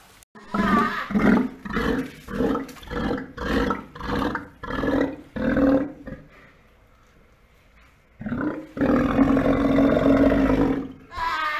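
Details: Captive Steller sea lions at an aquarium in Ise around the birth of a pup on 25 June 2020, in breeding season: deep harsh roaring barks repeated about twice a second for six seconds, a pause, then one long drawn-out roar.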